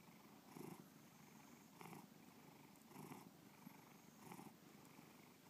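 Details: Low, rolling purr from Bubba, a house cat, with rhythmic surges roughly every 1.2 seconds over a constant soft rumble.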